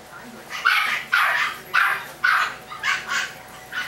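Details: High-pitched yaps from Chihuahua puppies, roughly two a second in an uneven run of six or seven squeaky barks, the last ones softer, against a quiet hissy background.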